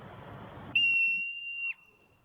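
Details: Marmot, a mammal of the squirrel family known for a peculiar cry, played as a quiz sound: one steady, piercing high whistle lasting about a second, preceded by murmuring voices in a room.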